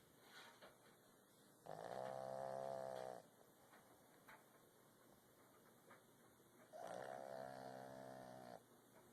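A Boston Terrier snores in long, rasping, harmonic breaths about five seconds apart.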